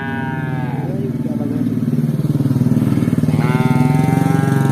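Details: Cows wearing cowbells walk through a village, giving long, low moos over the steady throb of a passing motorcycle engine.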